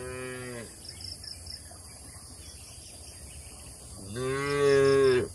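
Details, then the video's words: Cattle eating grass in an open oil palm plantation in Indonesia; the tail of one low moo at the start, a quiet gap with insect chirping, then a second rich, drawn-out lowing call near the end. "Bunyi suara sapi lembu"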